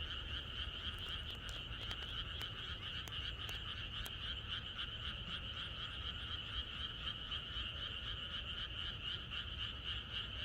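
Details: Many frogs chorusing at night in rural countryside before rain, their rapid, pulsing croaks blending into an unbroken throbbing wall of sound. A few sharp clicks in the first seconds sit above a low background rumble.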